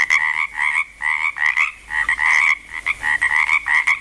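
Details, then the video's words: Frogs in Langlois, Oregon, starting up: a steady chorus of rattling, mid-pitched croaks repeated about twice a second. "frogs croaking in Langlois Oregon"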